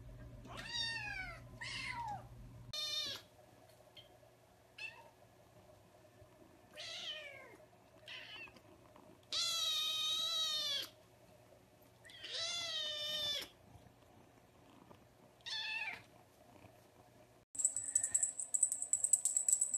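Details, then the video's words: Kittens meowing in short, high, arching calls spaced a second or two apart, with a low steady hum under the first few seconds and a sharp high-pitched tone near the end. "Cute Kittens Meowing"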